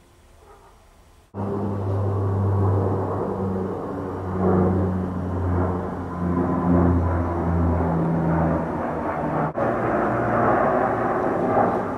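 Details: Loud low rumbling like a passing aircraft or vehicle outdoors, starting abruptly after a quiet opening, with no animal voice heard.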